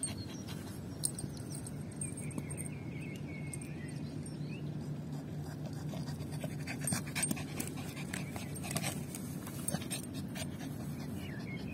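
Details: A small female Yorkshire Terrier is out of breath while playing fetch with a ball. Her rapid panting runs steadily throughout, growing into crisp, closely spaced breaths in the second half over a low background hum.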